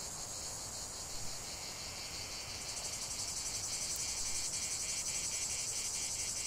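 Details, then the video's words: Cicada song as a constant shrill buzz that swells louder halfway through, a rapid regular pulsing emerging in the upper band over the steady drone. "45 min de chant des cigales"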